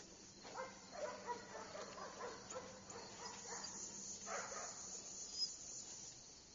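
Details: Cute puppy giving a string of soft, high, whiny yips for about three seconds, then one short yelp after a pause; quiet background hiss.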